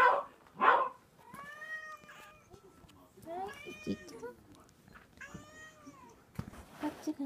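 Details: Eighteen-day-old Munchkin kitten meowing: a series of clear, harmonic, slightly rising-then-falling cries, about one every second, with brief rustling and voices at the start and end.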